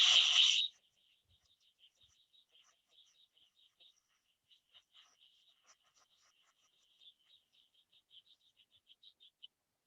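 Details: A very small cricket frog, found in Ontario and widespread in the US, gives a long series of sharp, high clicks, like two small stones tapped together.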